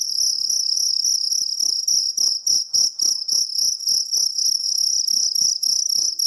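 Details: Kalung cricket calling loudly: a steady high-pitched trill with sharp pulsed chirps, roughly three to four per second, in bursts with brief pauses, no other sounds.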